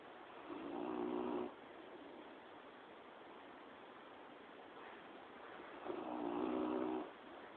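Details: Sleeping soundly and at ease, the dog Quill gives two drawn-out, throaty snores roughly five seconds apart, each swelling then cutting off, with a faint steady background hiss between them.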